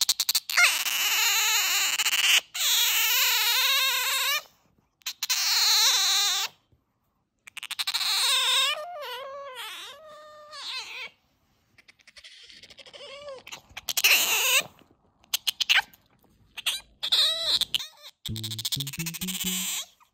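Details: Bingo, a pet otter, comes over when whistled to and beckoned, nibbles playfully, then vocalises affectionately to be fussed over. Loud, high, wavering squeals in bursts of about two seconds separated by silences, with brief chirps and short stepped tones near the end.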